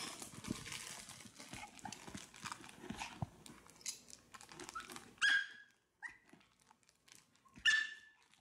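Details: Fanta, a Maltese pestering for a meal, gives two bright, shrill barks and a brief yip in the last three seconds, after a stretch of clattering, rustling household noise.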